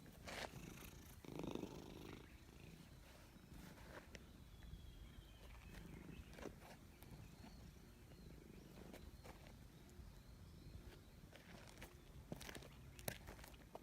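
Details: Purring cat being petted in a forest, the low continuous rumble partly masked by rustling and handling noises, with brief clicks and faint bird calls in the background.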